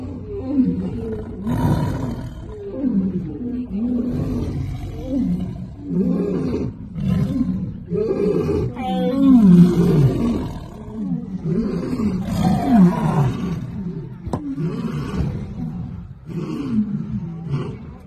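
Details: Tiger defending its ball from a lion: a continuous series of deep, wavering growls and roars, several each second, harsh and throaty throughout.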